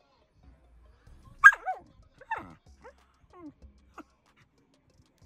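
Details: Samoyed vocalizing in its 'talking' manner: a sharp yelp that slides into warbling, falling notes, then a string of softer grumbles and short mutters fading over several seconds.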